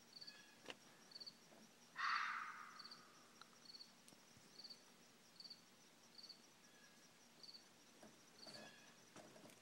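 A red fox gives one harsh, raspy cry against steady insect chirping.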